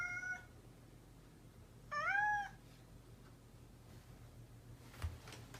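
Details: Mischievous domestic cat meowing: the tail of one call at the start, then a single short, bright meow that rises and dips, followed by quiet with a faint click near the end.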